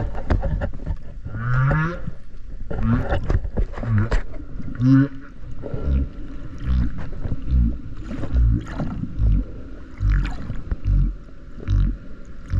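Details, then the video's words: Underwater recording of a whale off Okinawa, made while swimming alongside it: short low rising moans mixed with dense clicks and pulsing rumble, a faint steady tone in the background. "クジラの鳴き声 〜海の中の神秘のメロディ〜"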